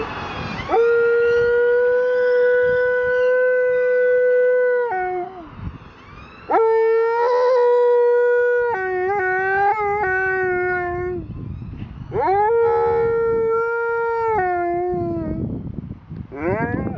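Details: Male Alaskan Malamute howling, as he does whenever he hears a siren; three long, sustained tonal howls, first steady and level, then wavering and breaking, separated by brief gaps and ending in a rough trailing sound.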